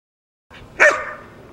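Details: Dog running an agility octagon drill course at night, a single sharp bark bursting out after a moment of quiet, bright and noisy, then trailing off into a fading tail.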